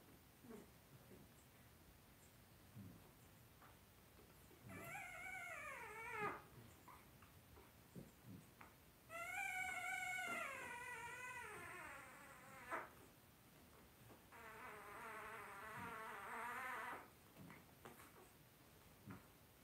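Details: Indoor puppy pen holding five blenheim Cavalier King Charles Spaniel puppies, two weeks old, born on New Year's to Paris and Spike; three drawn-out wavering whines, each about two to three seconds, falling then rising, with quiet rustling between.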